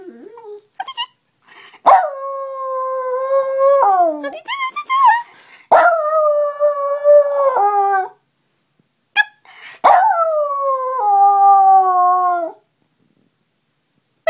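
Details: Pet dog "singing" in an operatic howl in response to its owner's beeping noises: three long, sustained, wavering tonal howls, each two to three seconds, sliding down at the ends, with short sharp beeps between them.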